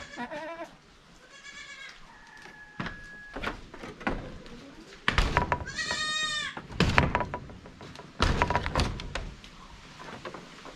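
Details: 93% Boer goat at Samir Bakhara Farm in Jhapa, Nepal: short wavering, nasal bleats come at the start, then a longer, louder quavering bleat midway, amid knocks, thuds and clatter of farm noise.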